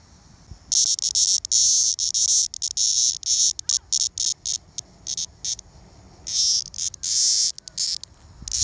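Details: Two male Linne's cicadas from Rumson, New Jersey, 2020, hand caught and newly molted, giving harsh, very high buzzing bursts that start and stop abruptly, some brief and clipped, others held for over a second.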